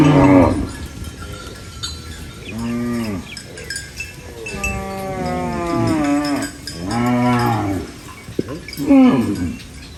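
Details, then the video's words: Repeated short, arching moos from a farm cow busy eating banana leaves. About five calls rise and fall in pitch, spaced a second or two apart, over a faint background hiss. "Funny cow eating banana leaves Mooing Sounds"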